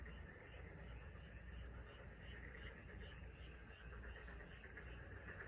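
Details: Frogs in chorus on Korea's Taean Peninsula, giving quick, evenly spaced pulsing notes, roughly three per second, layered over a constant background of calling frogs and a deep continuous rumble.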